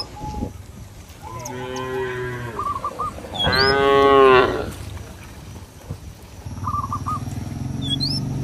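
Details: Cattle roaming a village field, calling companions to return to the barn: two drawn-out harmonic moos, the second louder and rising then falling, with faint bird chirps and whistles in the background.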